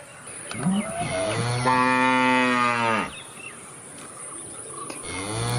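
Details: Cow giving one long drawn-out moo, rich and nasal with a gently arching pitch, followed by a quieter gap and the start of another low moo; a faint steady high hum runs underneath.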